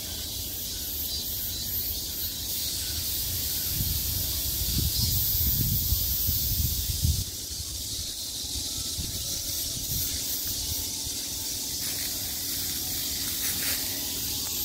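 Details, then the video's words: A midsummer cicada chorus surrounding the listener, its steady shrill buzz holding throughout while soft low thumps and rumbles rise briefly partway through. "매미소리를 들으며 휴식. Cicadas's buzzing sound"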